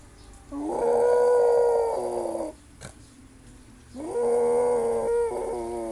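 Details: Pet dog making funny noises: two drawn-out, steady-pitched whining howls of about two seconds each, separated by a short quiet pause with a brief click.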